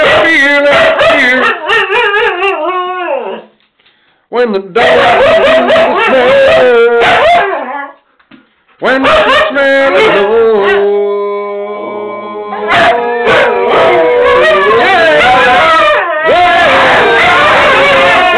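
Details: Several Siberian huskies howl together in a chorus of long wavering, rising and falling wails, with yips and short barks layered over one another, a brief pause near four and eight seconds, and a man speaking softly between.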